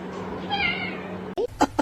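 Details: Domestic cat giving a drawn-out, wavering meow over soft background music, then three quick short chirping calls in succession.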